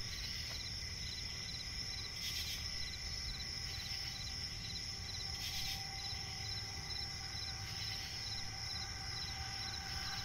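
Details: Crickets chirping in a night forest by a swamp, high steady trilling with evenly spaced short chirps below it, intermittent buzzy bursts every couple of seconds, and soft low background noise.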